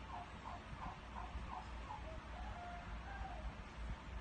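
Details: Pet dog crowing like a rooster: a run of short, wavering tonal yelps, about two each second, rising and falling slightly, over a steady low rumble of background noise.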